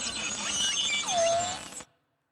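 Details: Beluga whale vocalizing alone, played to an audience as a guessing game; belugas are noted as very social. Warbling high chirps and a smooth downward-curving whistle sit over a buzzy pulsed background before the sound cuts off abruptly.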